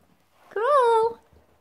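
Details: Milo, a Jack Russell Terrier performing tricks indoors, gives a single drawn-out tonal whine that rises and then eases down over about half a second, with a person's voice giving praise and commands before and after.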